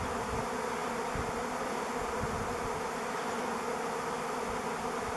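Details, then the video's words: Swarm of thousands of honey bees over a driveway, recorded 05-11-21: a dense, steady buzzing drone with layered low hum bands, continuous and unbroken throughout, with faint low rumbling underneath. "Bee Swarm"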